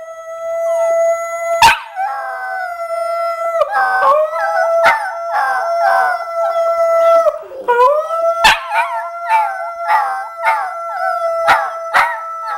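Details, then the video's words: Puppy being taught to howl on command: a long steady tonal howl, broken by sharp clicks, then wavering, yodelling howl notes with a dip and a renewed long held tone. "How to 'Howl Train' Your Puppy"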